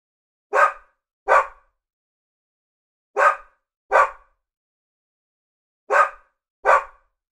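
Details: A Labradoodle gives three pairs of short, rough barks, the two barks of each pair close together and the pairs spaced about two and a half seconds apart in an otherwise quiet setting.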